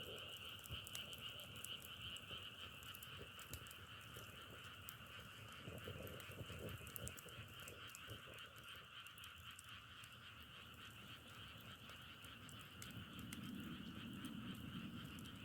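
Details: Dense frog chorus with fast pulsed trilling layered in two continuous bands, rapid beats throughout, while crackling firewood snaps irregularly and a soft low rustle rises near the end.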